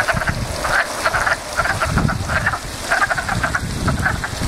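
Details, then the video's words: Backyard pond frogs in a steady chorus of short, raspy pulsed croaks, several callers overlapping in quick bursts, over a low rumbling background. "Frog Pond"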